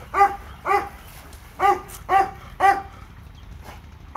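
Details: Labrador Retriever Leo visiting a dog park, barking steadily: six sharp, ringing barks about half a second apart with short pauses between, over a faint low background rumble.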